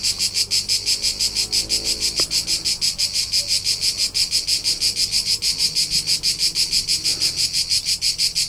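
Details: Summer crickets in the Tuscan hills of central Italy. A bright, shrill trill beats in even pulses about three times a second without pause, with soft low background noise.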